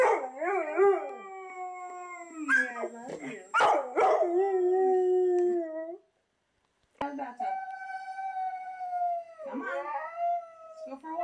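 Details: A three-year-old black Labrador Retriever, set off by talking huskies on TV, gives drawn-out howls that waver then slide downward, with short yelps, crying and whining between, and TV talk cutting in.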